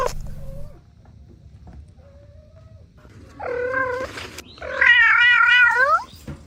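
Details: Kittens at play with their mother cat and two siblings; thin faint mews at first, then two louder drawn-out meows, the last wavering and quavering for over a second before dropping off.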